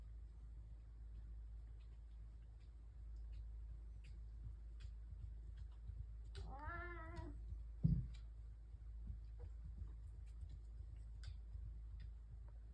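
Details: House cat, one of three indoor cats gathered together at breakfast in the morning; a single drawn-out harmonic meow of about one second midway, followed by a soft thump, amid quiet indoor room noise.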